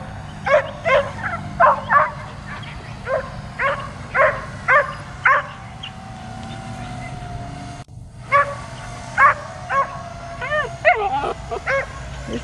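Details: Dog that hates the drone invading its space barks nonstop, a rapid run of about twenty sharp barks with brief gaps, ending in a few rising, whining yelps over a constant mechanical drone hum.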